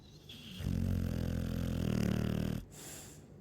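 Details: One rasping, low-pitched snore of about two seconds from a Chow Chow, steady and vibrating, ending sharply before quiet breathing resumes.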